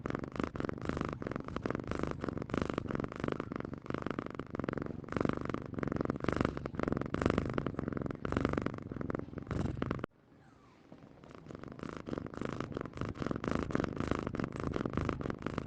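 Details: Domestic cat purring in a steady, rapid, rhythmic rumble of closely spaced pulses, with a brief drop in loudness about two-thirds of the way through before the purring resumes.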